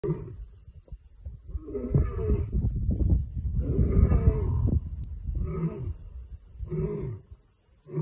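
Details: Lions roaring on a bushveld reserve in Limpopo, South Africa: deep, grunting roars in a repeated series, each burst about a second long, with a steady high-pitched insect-like whine in the background.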